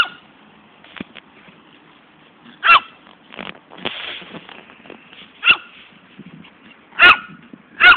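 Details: Barking poodle named Fani, running after her ball, which she never returns; four loud single barks stand out among softer rustling and scuffling noises, with gaps of one to three seconds.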